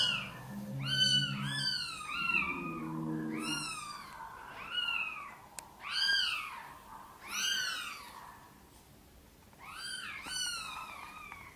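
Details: Mother cat Sonny and her tiny kittens indoors while she seeks help bringing them into the nest. Thin, arching mews repeat about every one to two seconds, overlapping at times, over a low purring hum near the start.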